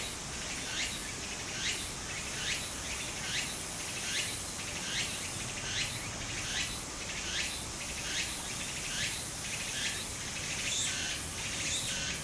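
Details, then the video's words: Cicadas singing in Japan in summer beside a flowing stream: a high, shrill pulsing chorus, rising swells repeating roughly every second, over a steady wash of running water. "小川の流れと蝉の声 自然音 ～夏～ Japan Sound of nature Cicada's voice"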